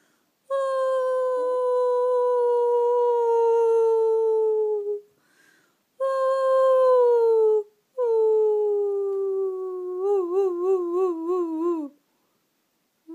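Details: Sustained dog howls, three in a row with short gaps, each a smooth, slightly falling tone; the last breaks into a quick regular wobble before dropping away.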